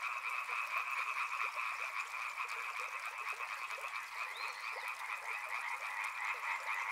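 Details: Riverside frog chorus with fast, uneven pulsed croaks layered into a constant rattling drone, mid and high tones blending, plus a faint brief rising whistle midway.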